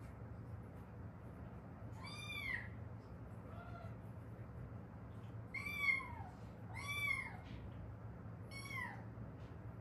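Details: Haeundae stray cat, one of a rescued mother and daughter: a loose series of softer, shorter meows, some faint and clipped, others arched and harmonic, irregularly spaced over a noticeable low rumble.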